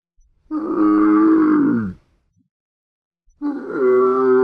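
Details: Two deep resonant groans from a camel, the first about one and a half seconds long and sagging in pitch at its close, the second beginning after a short silence and holding steady.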